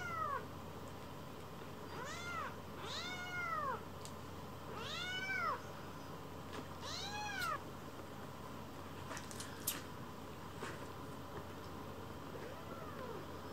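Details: Rescued kitten Leo, anxious at first, settles on a lap and rolls belly-up seeking affection while kittens Pon and Chiro climb on too; a run of clear arched meows, rising then falling, several in quick succession, then quieter moments with faint room hum.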